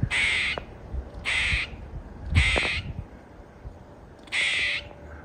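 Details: Squirrel stuck up high inside a house, giving harsh, nasal, duck-like quacking barks, four loud bursts at roughly one-second spacing with a longer gap before the last, while a man talks to it between calls.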